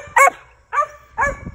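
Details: Male Original Mountain Cur squirrel dog, lightly started and in a training program for treeing, giving three short, loud, harsh barks spaced about half a second apart.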